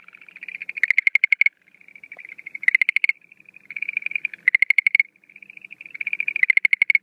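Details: At night during breeding season in April 2013, a Schlegel's green tree frog gives quiet purring trills that swell into loud bursts of fast, hard clicks, about four bursts in seven seconds.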